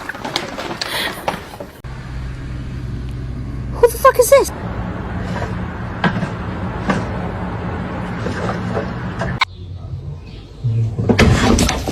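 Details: Talking voices over a low vehicle engine hum outdoors in an urban setting, with a few clattering bursts and no clear animal calls.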